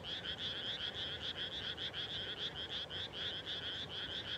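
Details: Frogs at nightfall over newly planted paddies in rural Japan, their rapid croaking pulses repeating several times a second and blending into a dense, vibrating chorus.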